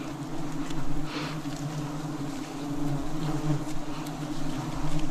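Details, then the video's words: Swarming wild bees at a forest honey harvest, 2026: an unbroken deep hum of many wings swelling and fading slightly in loudness over five seconds, with no other clear sounds. "Forest Honey Harvest 2026 – Igniting the Wild Sweetness"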